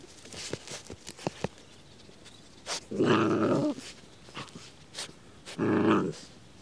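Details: Two female Patterdale terriers, Tangle at six months and Tink at 2.5 years, digging for moles in mole hills; two sustained low, harsh growls of under a second each, separated by scraping and sniffing sounds.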